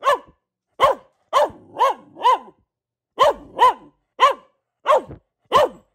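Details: Female Boxer Luna gives nine separate barks, each with a slightly falling, rounded tone, spaced roughly half a second apart in two loose groups.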